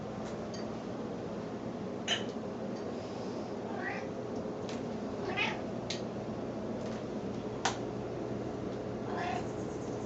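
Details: Grey Grey, a female snowshoe cat indoors, making baby-like sounds while circling and expecting to be fed; several short rising meows spaced a second or two apart over a steady hum of room noise.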